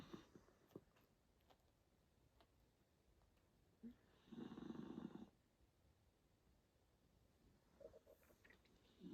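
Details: Miniature dachshund snoring indoors: a single rasping, low-pitched snore lasting about a second stands out mid-recording, with faint soft breathing clicks and quiet room noise before and after.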